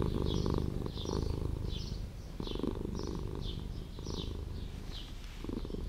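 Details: A street cat that lives in an old house purrs in a deep, rapid, throbbing rumble that rises and falls in loudness, with brief high swooping chirps repeating above the purr at a quick, fairly even pace.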